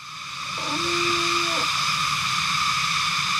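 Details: Loud cicada chorus on a mountain road in Benguet's Cordillera region, a steady piercing buzz in several high layers, briefly joined by a low held hum lasting about a second.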